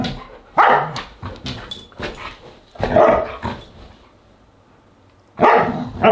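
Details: Huskies at a dinner party, August 10, 2022: a run of short yips and barks, several loud bursts spaced irregularly, then a pause of about three seconds before a final loud bark.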